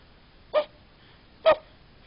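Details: A sleeping dog, possibly dreaming, gives two short, soft yips about a second apart, described as puppy noises; recorded in the United States.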